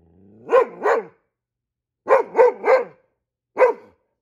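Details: Goldendoodle sounding off at squirrels with guard-dog barking: a pair of barks, a quick run of three, then one final bark, all crisp with short silences between.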